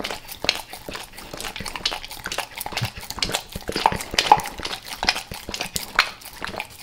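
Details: Max the dog eating natural peanut butter and peanut butter oil before leaving El Paso, close licking and lapping in quick irregular wet smacks, about two a second, with faint clinks.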